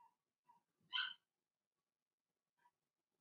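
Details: Cavalier King Charles Spaniel puppies, Blenheim colouring, from Remy's first litter, in an indoor pen while potty training continues. Soft little whimpers surround one bright, bursting yelp at the centre.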